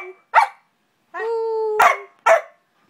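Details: Ranger the dog, crying along with his squeaky toy turtle, gives a sharp bark, then a steady level howl of about a second, followed by two more barks.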